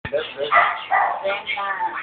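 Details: Silky Terrier dog giving a run of short, bright, slightly rasping barks and yips in quick succession, about four bursts in two seconds, sound cut off sharply above the midrange.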